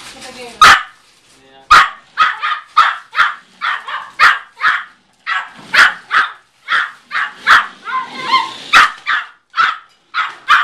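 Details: Small Yorkshire Terrier named Midas Muffler, around a year old and 4.5 lbs, yapping as he chases a car; a rapid, steady run of shrill barks, some doubled, with faint speech mixed in.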